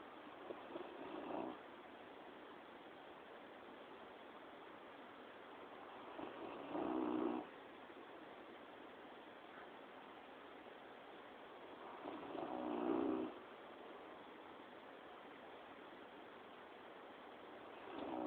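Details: Dozing comfortably, Quill the dog lets out soft, short snores at about six-second intervals, four rough breaths in all, quieter and grainier than a full snore, over a low continuous room hiss.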